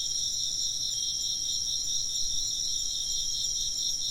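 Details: A steady insect chorus of fast, high chirping pulses in layered bands carries on without pause, unaccompanied by other distinct sounds.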